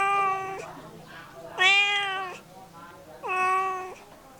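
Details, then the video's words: Domestic cat meowing three times, about every one and a half seconds: each meow is a clear, steady, tonal cry, the middle one loudest, dropping slightly at the end, with a quiet room background. "Cat sound effect"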